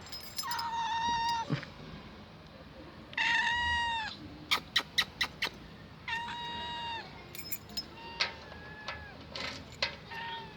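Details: Older stray cat found hungry and thirsty in a garage, meowing for food indoors: long, drawn-out harmonic meows, several in a row with short pauses, plus a burst of sharp clicks and faint human voice.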